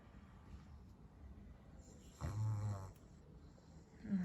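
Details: Pet pug sleeping in its little box at bedtime, snoring: quiet low breathing, then one loud rumbling, fluttering snore lasting about half a second, and a final snort at the end, with a woman speaking softly nearby.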